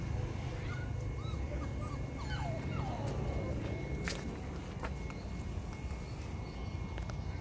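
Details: Brindle female Phu Quoc Ridgeback, coded V03, at a Phu Quoc dog kennel in Saigon, straining against the leash during leash training; faint, high, curling whimpers and short descending whines over steady low hum, with one sharp click.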